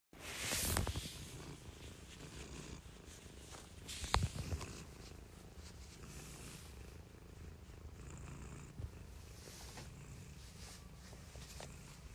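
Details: A pet cat purring softly, a faint low rumbling throb that pulses steadily, with a couple of brief rustling noises near the start and middle.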